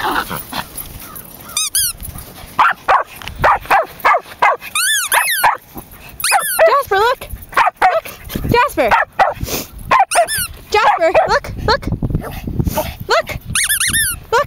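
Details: Jasper, a 16-week-old Samoyed puppy, plays with his brother Bailey, a Pomeranian x Dachshund, at a local dog park. High, ringing yips and sharp barks come in rapid, uneven bursts, with people talking between them.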